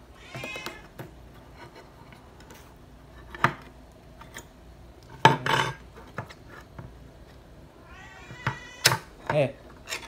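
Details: Srintil, a pet cat, begging for food, short meows at the start and near the end among clinking dishes, cutlery clatter and a human voice in a quiet room.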